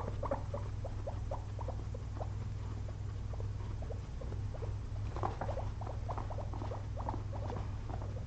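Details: A pair of pet guinea pigs resting after a long day spent eating frozen blueberries, giving short soft squeaky notes in loose irregular bursts, with a constant low hum in the room.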